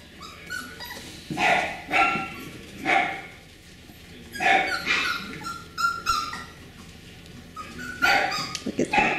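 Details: Beagle puppies of the Camo and Buddy litter, filmed 18 April 2020: high, yelping puppy yips come in spaced bursts about every one to two seconds, with softer whimpers between them.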